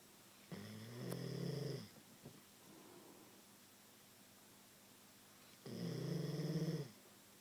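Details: Sleeping Queensland Koolie dog snoring indoors: two long, deep, rasping snores about five seconds apart, each lasting over a second, with a quiet pause and a faint click between them.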